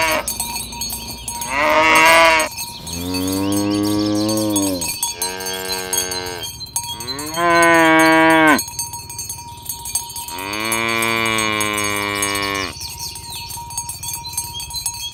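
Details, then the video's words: A herd of tame cows, driven toward the pen on a village road in the morning, moo to call each other together. Four long harmonic moos follow one another, each a few seconds long, over constant ringing cowbells. "Suara sapi lembu berkeliaran di ladang rumput hijau memanggil kawan untuk berkumpul - Bunyi sapi"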